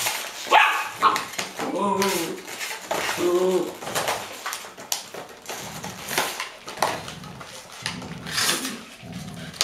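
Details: A five-year-old female Golden Retriever playing with a bottle, surrounded by six 7-week-old puppies, in Haute-Savoie, France, in October 2013. Short, rising-and-falling whining yelps and a few barks are heard, with people talking nearby.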